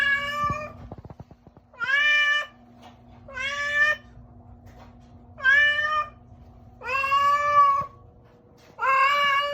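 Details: A cat makes a strange sound, a series of drawn-out, harmonic meows roughly every two seconds.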